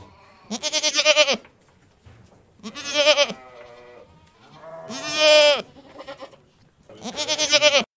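A goat gives four loud, wavering bleats, each about a second long, with short pauses between.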